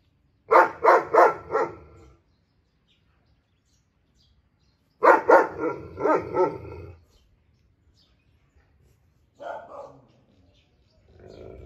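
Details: German Shepherd Walcott barking to his friend, extremely loud. Two bursts of four or five fast, forceful barks several seconds apart, then a shorter, softer bark near the end.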